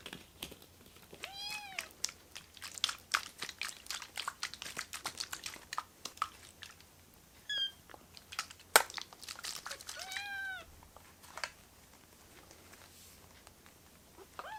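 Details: Rescued baby kittens in foster care, crowding together onto a hand, give high arched mews in three separate bursts, each rising then falling. Dense clicking and crunching runs between them, like chewing or handling.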